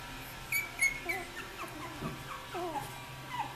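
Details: Australian Terrier puppies, 3.5 weeks old, at nap time, giving a few faint, scattered high whimpers and squeaks against a low steady hum indoors.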